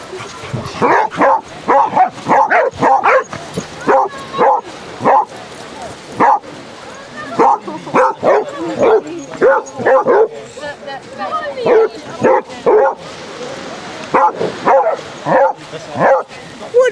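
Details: Thirty Basset Hounds romping along sunny Exmouth beach in Devon, barking and baying together in a dense chorus of loud, short, overlapping yelps, nearly continuous over the whole stretch.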